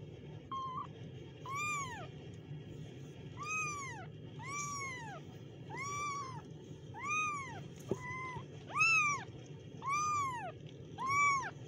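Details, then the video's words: Kittens mewing in a steady run of bright, arched cries about once a second, each rising then falling, with one brief higher squeak midway, over constant low-pitched room hum. "kittens Meow"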